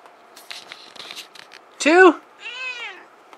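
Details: House kitty handled by its ears while a person talks and counts; after the speech a loud arched vocal burst comes, then a shorter, smooth falling meow closes the moment.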